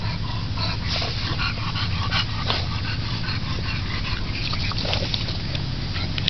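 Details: Bulldog family, two parents playing with their 8-week-old puppy girls: short, thin whimpers and yips scattered across the recording over a steady low rumble, with no clear speech.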